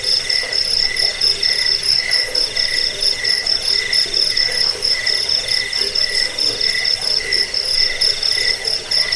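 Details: Crickets in a continuous chorus, played to drive off rats, help with sleep and train songbirds. Layered shrill pulsing trills overlap in several high bands, throbbing steadily with a faint lower hum beneath.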